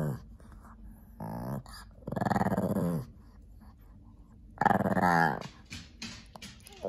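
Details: Playful Shih Tzu/Pekingese dog, talkative in the afternoon while playing with a lion cub toy indoors: three drawn-out growling, grumbling vocalizations, the longest about a second, separated by quiet pauses.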